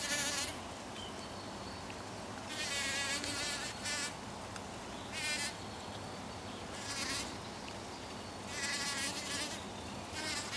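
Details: Bee pollinating a poppy: on-and-off bursts of high, wavering buzz separated by quieter gaps, with constant low background noise throughout.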